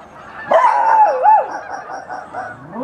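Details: Dog vocalizing outdoors among noisy geese: a sudden drawn-out, wavering yowl that bends up and down for about a second, followed by softer trailing cries and a faint rising whine at the end.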